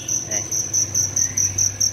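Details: Small fire cricket calling indoors from a hole in a city home in Vietnam at dawn, loud high-pitched chirps in a fast, even pulse about four per second over a low background hum.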